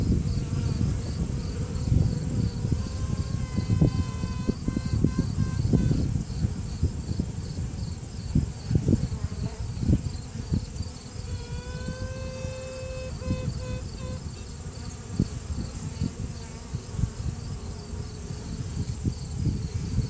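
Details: Trumpeting from a virgin honey bee queen within the hive, asserting dominance. Two bursts of clear, tonal notes: the first rises then holds, the second is a long steady tone broken into rapid pulses, all over a dense buzzing hum of workers.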